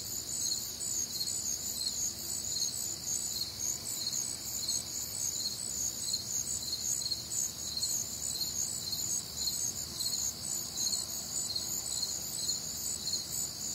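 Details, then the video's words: Many crickets calling through a warm, humid summer night in the Midwest: shrill, rapidly pulsed trills layered at several pitches, beating in a continuous, even rhythm, with soft low background noise. "Night Time Cricket Sounds"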